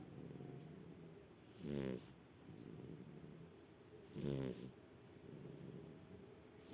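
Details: Shar pei asleep, giving two loud, rasping snores roughly two and a half seconds apart, each a coarse vibrating inhale followed by a quieter, airy breath out.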